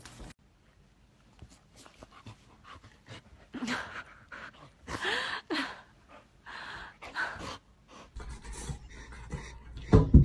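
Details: Golden Retriever panting in rapid breathy bursts that swell and fade over several seconds, with some human talk in between and a loud thump near the end.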